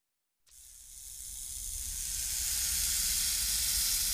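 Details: Rattlesnake rattling: silence, then a sudden continuous dry hissing buzz that grows gradually louder and holds steady to the end.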